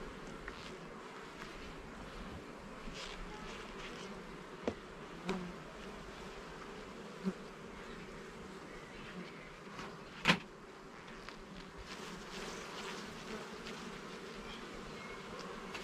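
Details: Honey bees at a garden hive during an inspection of its levels and frames: a dense, steady humming buzz fills the air, broken by a few sharp clicks and knocks from the frames being handled.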